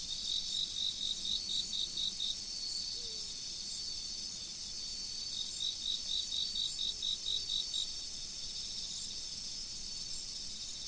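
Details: Insects in autumn by a river give two bursts of quick, regular chirps, each lasting two to three seconds, separated by a pause. A continuous high-pitched insect drone and the gentle noise of the river fill the background.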